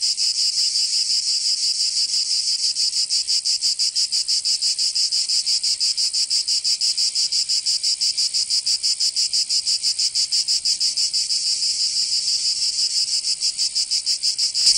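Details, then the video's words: Provençal cicadas in summer, southern France, keep up a steady piercing high-pitched whir for the whole stretch, pulsing rapidly and evenly, about three beats each second, with no background sounds. "Canto Cigarra 🦗 [ Escuchar les cigarras en verano 10 H]"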